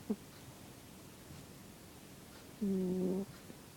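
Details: Cat named Zebbie snoring: a tiny catch of sound at the start, then a steady, buzzy, humming tone lasting over half a second, surrounded by near silence.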